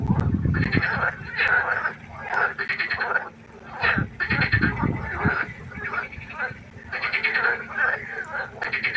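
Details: Frog concert at night beside a pond: dense, grating croaks pulse in repeated bursts, several callers overlapping, brief pauses between rounds, and a low rumbling hum beneath.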